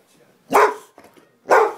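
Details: Boxer dog playing rough during a rumble, giving two loud, harsh barks about one second apart with a faint rasping sound between them.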